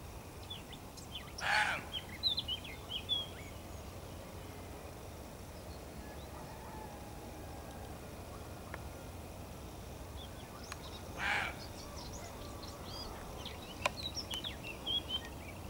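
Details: Two male roe deer surprised at dawn near Gijón, barking at observers to show their presence is unwelcome; two short harsh barks about ten seconds apart, with small birds chirping in the background.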